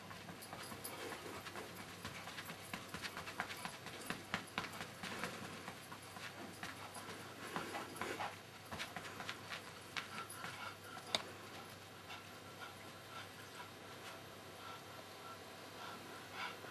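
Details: Pekingese named Pingeling, a pet dog that loves his red fuzzy pillow, breathing in quick, irregular breathy puffs about twice a second, with soft rustling and scuffing throughout.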